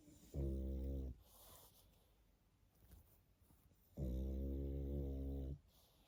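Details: Sleeping pug snoring indoors: two loud, buzzy, droning snores with a rich harmonic, nasal tone, each about one to one and a half seconds long, separated by roughly three seconds of quiet breathing.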